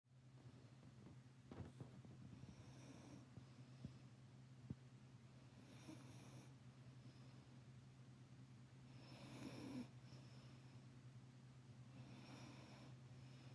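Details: Labrador Retriever mother lying stacked on top of her puppy, snoring in soft breathy rasps roughly every three seconds over a steady low indoor hum.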